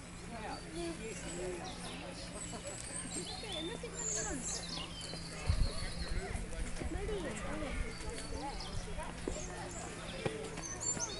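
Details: Bush dogs at Chester Zoo give a busy stream of short, high, wavering squeaks over a low background hum.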